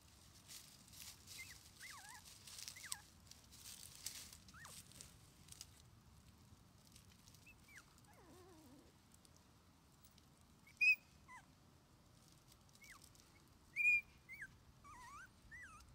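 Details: Male red Shiba Inu puppy, 21 days old, born 24 January 2021, an only pup beginning outdoor play with its mother. It gives thin, high whimpers and squeaky rising-falling squeals, scattered irregularly, with two sharper yelps late on over a low rustle.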